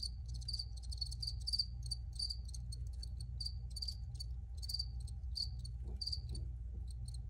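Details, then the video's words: Recorded crickets chirping in quick, high-pitched pulses, some doubled, repeating at a brisk, slightly uneven pace over a constant deep background hum. "Free Cricket Sounds for Re-Use or Relaxation"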